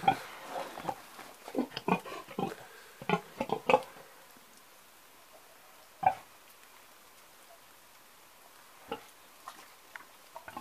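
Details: An old pig grunting indoors: a cluster of short, low, rough grunts in the first four seconds, then only a few isolated snorts spaced across a quiet room.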